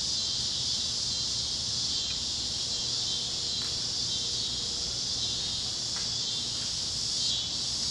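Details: At sunset over Kansas fields on the great plains, cicadas keep up a constant shrill buzzing band with very slight waves in intensity and a few faint clicks and a soft low tone underneath.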